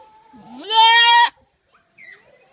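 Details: Loud, sudden goat cry, so powerful it startles: a rising onset swelling into a strained, rich, level bleat lasting about half a second, cut off sharply, followed by faint quieter sounds.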